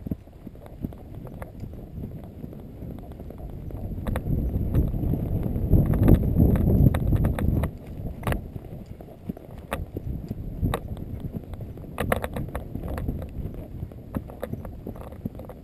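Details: Friesian horse named Ed running on river bottoms at McIntosh Reserve, Whitesburg, Georgia, filmed with a GoPro Hero 2 while ridden; steady rhythmic dull hoof thuds about three per second under low rumbling wind noise, a few sharper knocks.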